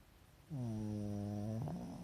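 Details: A pet Pekingese asleep with the whites of its eyes showing, snoring: after half a second of quiet, a low droning, harmonic hum holds steady for about a second, then shifts slightly higher and rougher as the breath ends.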